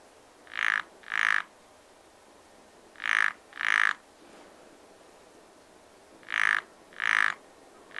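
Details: Frog at a pond in spring calling in evenly paired harsh croaks, each pair followed by a pause of about two seconds, clear and loud over faint ambient noise.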